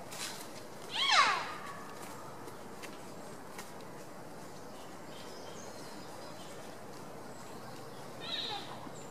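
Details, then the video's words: Rutting wapiti stag at Tierpark Berlin in September 2015 gives a short, loud, harmonic call that drops in pitch. A fainter second sound follows about seven seconds later over steady background noise. "Wapiti stag rutting (posture and roaring)"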